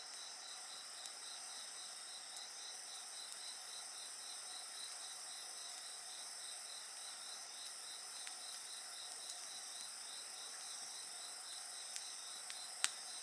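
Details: Steady, shrill insect chorus with a fast pulsed trill running underneath, layered high droning tones, and scattered faint crackles from a campfire, with one louder snap near the end.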